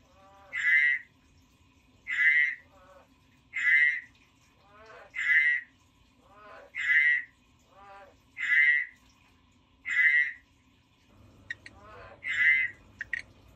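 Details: A kept pet frog croaking in a steady series, about eight bright, buzzy pulsed croaks spaced roughly every one and a half seconds, with softer rasping notes between them and a few sharp clicks near the end.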